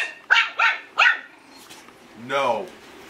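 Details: Eight-week-old Yorkshire Terrier puppy barking for the first time indoors: three short, high, yappy barks in quick succession, followed after a pause by a longer drawn-out voiced sound.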